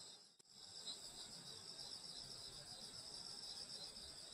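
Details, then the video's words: Grass insects on a summer night at a grandmother's countryside home: a dense, unbroken high shimmering chorus in several stacked bands, with one brief drop in loudness near the start. "여름소리 풀벌레소리 시골밤소리"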